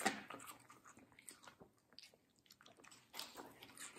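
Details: Watermelon eaten by Middle, a fluffy medium-size female Samoyed, recorded close-up indoors as ASMR. A loud opening crunch, scattered smaller bites and smacks through the middle, then a fresh burst of crisp chewing near the end.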